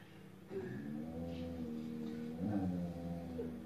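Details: A female Belgian Shepherd Groenendael, jealous and grumpy, growls at a Husky for not sharing the couch, a low, sustained, voiced grumbling rumble lasting several seconds, with a slight rise and wobble near the end.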